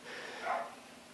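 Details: Dog producing a single short bark rising to a tonal peak midway, set against steady broadband background noise.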